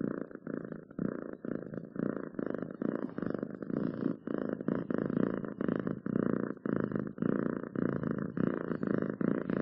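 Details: A cat's close, loud purr: rumbling, throbbing pulses repeating about twice per second, steady throughout in a quiet indoor setting.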